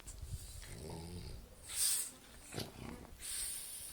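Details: Napping French Bulldog snoring: soft breathy snorts and rasping inhalations in uneven bursts, with hissing exhalations and quiet pauses between breaths.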